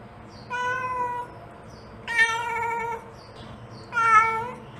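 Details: Mother cat calls for her kittens with three drawn-out, strongly harmonic meows spaced about one and a half seconds apart, the middle one loudest, over a faint low background hum.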